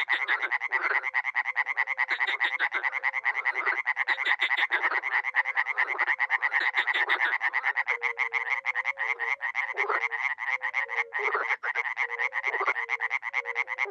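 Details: Mixed frog and toad chorus from a small spring pond in Miroslovesti, north-east Romania, dozens calling: relentless fast rattling croaks throughout, and midway a series of soft, low, evenly spaced hooting notes grows clearer beneath the din.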